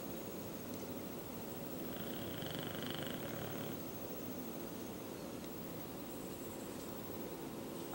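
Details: Duke the English Bulldog asleep, snoring like an old man: a constant rough, vibrating rumble with a fast flutter, a brief faint higher tone around the middle, no speech.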